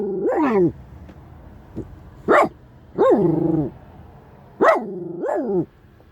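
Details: A Shiba Inu gives loud, harsh barks with a falling pitch, unhappy with a stranger walking too close to the car.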